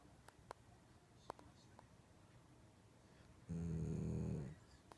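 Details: Shiba Inu asleep and snoring; after faint clicks and small noises, one loud, low, rasping snore lasts about a second, followed by quiet.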